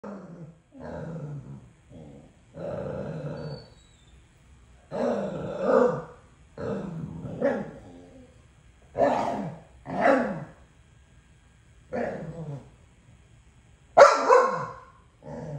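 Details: Two dogs arguing over who gets a toy: bursts of grumbling growls and short rough barks, each lasting about half a second to a second, broken by brief pauses, with one sharper, louder bark near the end.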